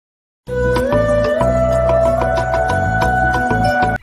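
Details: Sustained music with steady held tones and light percussive taps; no animal sound is heard.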